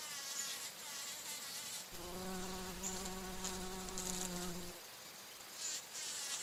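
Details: A bumblebee's deep, steady hum passes for about three seconds, its pitch sagging slightly as it flies off; bumblebee feeding on flower nectar and flying.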